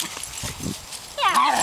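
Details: Young dogs at play in a yard, a 14-week-old Italian Greyhound and a 9-month-old Silky Terrier, either one possibly the caller: after a second of soft rustling and thumps comes a sudden high, whiny yelp that wavers up and down.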